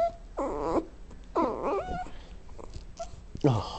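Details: Johnny, a dog with poor eyesight, whines and moans as his owner comes home at lunch to let him out; two wavering, moaning whines rise and fall, then a short yelp-like cry, while a person repeatedly says hello.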